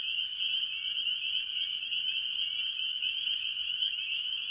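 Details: At a farm pond early in the year, a chorus of tree frogs dominated by spring peepers: relentless overlapping high peeps merge into one bright, constant tone, with faint lower trills running below.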